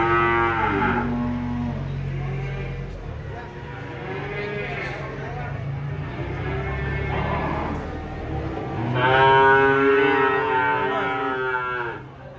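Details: Giant cattle being unloaded from a truck. A short harmonic moo opens the clip, then a longer, louder, wavering moo follows near the end, both over a steady low engine rumble and background voices.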